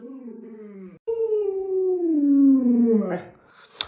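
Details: Pet Alaskan Malamute beside a young child at home, a drawn-out howl that starts mid-pitched, sags slowly downward over about two seconds and ends in a breaking whine, with a brief break near the start.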